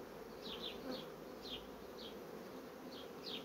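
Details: Honey bee colonies rapidly building comb hum with an even, low, continuous buzz. Short high chirps repeat about every half second above it.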